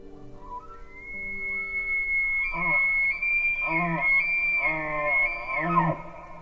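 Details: A bull elk bugles in autumn in pine and spruce forest in the Canadian Rockies: a long, high, whistled shriek made through the nose over a lower, rough roar from the voice box, produced simultaneously.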